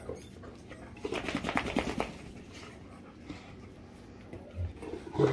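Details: Two Great Danes, Rhapsody and The Heartbreaker, being affectionate together. A soft, low background gives way to a second of grunting, moaning vocal sounds with stacked tones, then fades to quiet with a faint huff near the end.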